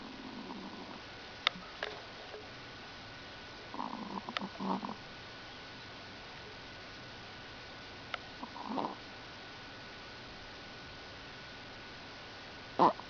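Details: Lucky the Chihuahua asleep and snoring, short soft rasping snores returning about every four seconds, separated by quiet breathing gaps, with a few faint clicks and a sharp knock at the end.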